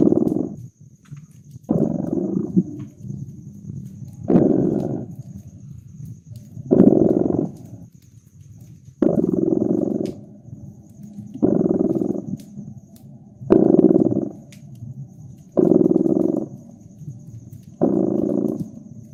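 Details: Cozy winter fireside scene with a cat purring: regular buzzing, rumbling pulses rising and falling with each breath, about eight cycles spaced two to three seconds apart, accompanied by scattered crackles and snaps from the fireplace.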